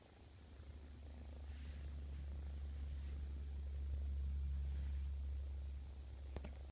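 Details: A male domestic shorthair cat, a feline leukemia positive shelter cat awaiting adoption, purrs loudly and evenly: a deep, continuous low rumble that swells toward the middle and fades at the end, ending with a brief click.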